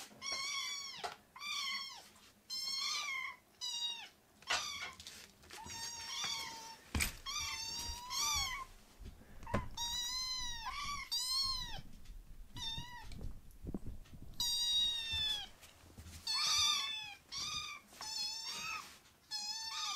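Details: Several rescued foster kittens crying indoors, many short high arched mews overlapping and repeating almost continuously, rich in upper harmonics, with occasional sharp clicks and soft room noise.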